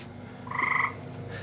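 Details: A tree frog making a lot of racket at night: one short, nasal croak about half a second long with a rich, buzzy tone. Faint low hum in the background.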